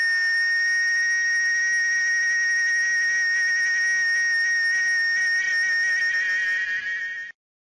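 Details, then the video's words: Cicada singing: a steady, continuous shrill tone holding level for about seven seconds with strong high overtones, ending abruptly; no other sounds clear. "SOM DA CIGARRA CANTANDO"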